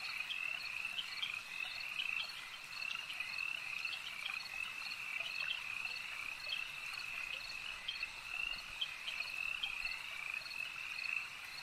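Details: Lakeside frog chorus, many voices overlapping in an unbroken, shimmering trill with quick pulsed croaks layered on top, holding an even loudness throughout the stretch.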